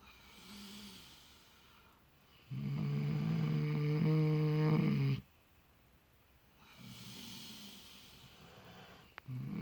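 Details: Miniature potbellied pigs named Clutch and Penelope sleep in fresh straw, snoring while they dream; a soft snore, then a loud deep rasping one lasting nearly three seconds, a quiet gap, and fainter snoring again.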